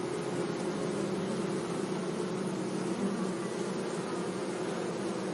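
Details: Bees humming among flowers in a sunny meadow, a steady, even low drone with little variation, dense and continuous.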